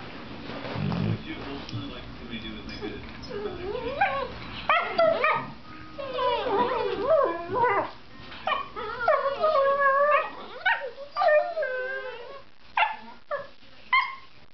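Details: Mastiff and Lab playing together indoors, sounding like singing to each other: wavering howls and whines bending up and down in pitch, broken by yips and short barks, with people talking over the dogs.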